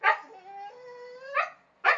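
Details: Two pet dogs argue back at their owner after being told off the terrace. A loud bark opens into a drawn-out, wavering, whining howl with clear tonal layers, followed by two more sharp barks. A man's Romanian commands frame it.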